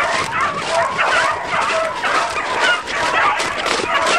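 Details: A pack of beagles hunting roe deer, followed on foot with sticks, gives a dense, continuous chorus of overlapping yelping barks and bays, with voices rising and falling together and no clear pause.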